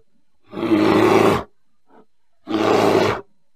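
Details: Bear producing two long raspy roars, each close to one second, with a faint short grunt in the quiet gap between them and no other sounds.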